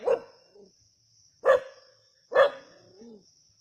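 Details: Native dogs hunting a snake at Keezhadi give three sharp barks about a second apart. Short tonal whines trail between them over a steady high insect drone.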